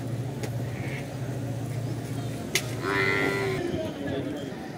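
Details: Domestic water buffalo at the Erragadda bull market in Hyderabad, where buffalo calves about a year old and bulls, including a Murrah bull, are sold; a long, low droning moo, then a shorter higher call over crowd chatter and market bustle.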